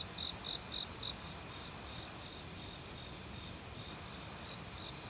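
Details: Autumn crickets in a forest, calling loudly since a week earlier among various other insects: four bright, high chirps in the first second, then a faint pulsing trill beneath the steady rush of a mountain stream.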